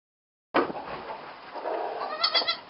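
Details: Young goat kids moved into their barn stall for the first time, bleating in a strained, quavering cry that starts loud and wavers on for about two seconds, with barn noise behind.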